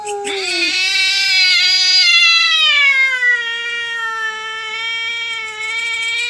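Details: Cats quarrelling over territory at night; a shrill, strained scream with dense harmonics rises sharply, then settles into a long, slowly falling wail that stays loud to the end.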